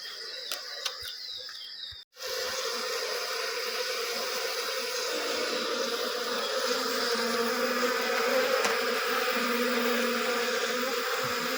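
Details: Honey bee colony just moved from a traditional log hive into a modern hive, giving a steady, dense, low droning hum that swells slightly louder after a brief break near the start, with faint clicks overhead.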